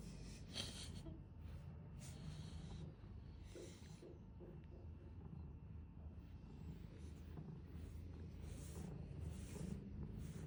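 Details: Big cat purring contentedly as it is brushed; an unbroken low vibrating hum sits beneath rhythmic bristly brush strokes, several at the start and more toward the end.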